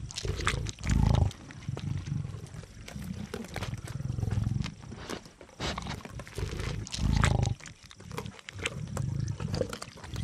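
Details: Lions (Panthera leo) of an African pride growl in deep, rumbling bursts while feeding on a kudu bull they ambushed just before sunrise, with a man's voice narrating throughout.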